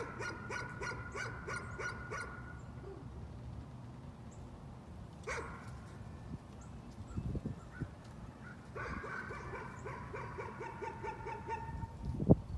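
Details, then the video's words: A dog's nuisance barking comes in two quick runs of sharp, repeated barks at the start and near the end, with a quieter stretch of low rumble and a few knocks between. "Nuisance barking again."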